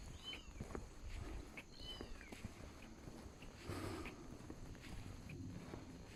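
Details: Abandoned kitten heard crying outdoors during a motorcycle touring trip: two high, arched meows near the start, then quieter rustling and footsteps over a low rural background hum.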